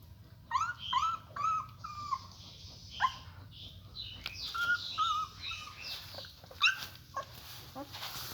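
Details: German Shepherd puppies, newborn with eyes still closed, nursing with their mother; a run of short tonal whimpers, some bending upward, repeating irregularly, with soft speech and faint hiss behind.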